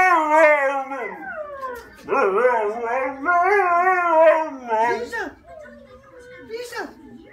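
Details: Siberian husky crying in loud, drawn-out, harmonically rich howling wails that waver up and down, three long phrases separated by brief pauses, then trailing into softer whines near the end.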